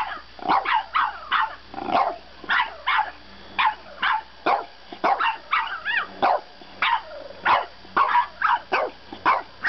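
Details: Bedtime protest from a French bulldog puppy: a nearly continuous stream of shrill, clipped yips and barks, several per second, one drawn-out wavering whine in the middle, no other sounds.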